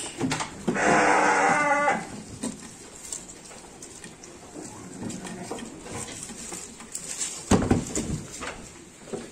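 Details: Garut sheep being given supplementary feed bleats once, a loud harmonic cry lasting just over a second, followed by faint rustling, clicks and shuffling in an indoor pen.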